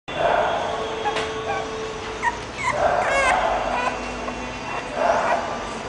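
An English Bulldog gives short, yelping barks in scattered bursts, with human voices in the background.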